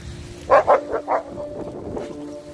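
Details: Adult Renaissance Bulldogges disciplining Rekkr, a 10-month-old pup playing too rough, out in a snowy front yard as sleet and rain fall: four short, loud, harmonic barks in quick succession, then quieter yaps over steady sustained music tones.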